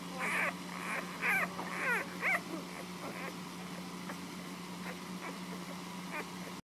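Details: Nursing puppies indoors whimper in a cluster of short, wavering squeaky whines during the first two and a half seconds. Fainter isolated squeaks follow over a constant low hum.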